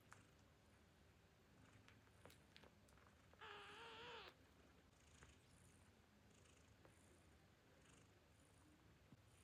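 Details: Tiny newborn kitten, hungry before nursing, lets out a single steady, nasal mew lasting under a second amid quiet rustling and faint suckling sounds.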